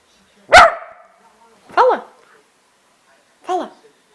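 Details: Pet dog coaxed to "talk" on command: three separate short, arched, whining yowls about a second apart, each rising then falling in pitch, with a woman's voice urging it on just before.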